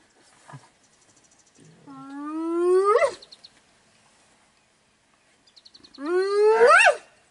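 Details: Spotted hyena calling during a lioness hunt in Kruger National Park, South Africa, near Biyamiti Bushveld Camp: two long rising whoops sweeping upward and ending in a sharp peak, separated by silence, with faint clicks between.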